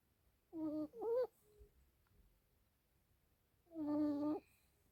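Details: Asleep, the Yorkshire Terrier puppy Alice lets out murmuring sleep-talk: two quick nasal moans close together, a pause, then one longer steady whining groan, all in a hushed indoor setting.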